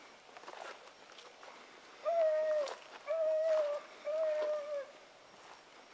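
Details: Dog pups in training alongside Sassy, Magnum, Ringo and Boone; three drawn-out, steady, tonal howling notes of under a second each, spaced about a second apart, with soft rustling in the background.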